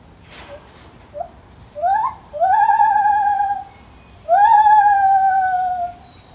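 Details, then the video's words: Zoo-housed Lar gibbon calling: short rising hoots build into two long, sustained, slightly wavering whoops, each sliding upward then held before fading, with a pause between them; quiet low hum behind. "Lar gibbon Monkey Sounds"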